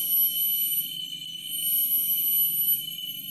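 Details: Cicadas (tonggeret) at the summit of Lalang Hill forest park, Belitung, Indonesia, fill the air with a steady, shrill, ringing drone that barely wavers.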